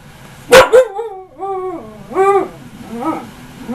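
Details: Ankita the husky, almost a year old, whines mid-argument after a heated debate; a sharp yip opens, followed by several soft rising-and-falling whimpering howls in a quiet room.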